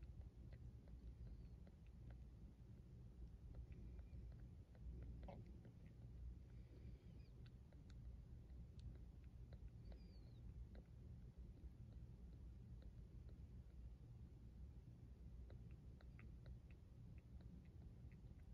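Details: Purr of a neonate kitten under foster care at a cat rescue: a continuous deep, evenly pulsing rumble held for the whole stretch, with faint scattered clicks and a brief soft voice in the background.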